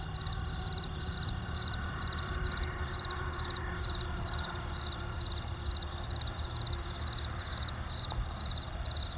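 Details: Cricket. Crickets give a high, pulsed chirping, short bursts repeating about twice a second in an even rhythm. Beneath them runs a continuous low roar of distant traffic.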